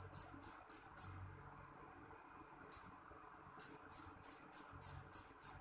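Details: Shrill, high-pitched jeliteng cricket chirps: four quick pulses, a long pause with one lone chirp, then a fresh run of evenly spaced pulses, with faint low rumbles underneath.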